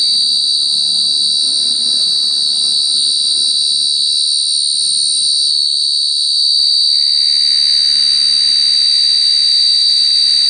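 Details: A cricket, called ចង្រិត in Khmer, keeps up a constant shrill trill at an even pitch with a faint higher overtone, while a soft hiss of background noise rises partway through.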